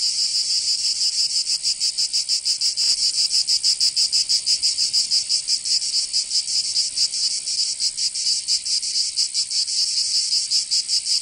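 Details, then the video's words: Cicadas of Provence, southern France, in summer. A bright, high-pitched rasping drone swells and fades in quick, irregular pulses, suggesting a chorus of overlapping singers. No other sounds stand out. "Canto Cigarra 🦗 [ Escuchar les cigarras en verano 10 H]"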